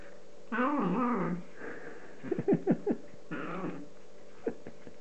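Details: Hungry cat enjoying chicken lets out a long wavering meow, then a burst of short clicky chewing sounds and a second, shorter meow, over a faint indoor hum.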